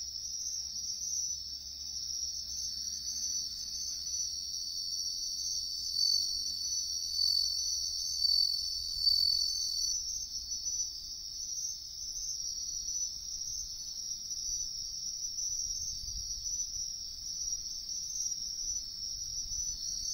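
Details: Wild bell cricket in woodland on a riverbank, found while searching for insects: a steady, high, ringing trill that runs unbroken, swelling slightly in loudness, with faint low rumble beneath.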